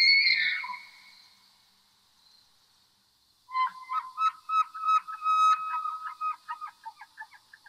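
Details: Elk; bugle; male proclaiming territory, warning other elk to stay away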